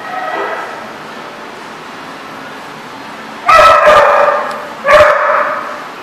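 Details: Dog barking on 28 February 2014: two loud, abrupt, mid-pitched barks about a second and a half apart, following a faint earlier bark over a steady background hiss.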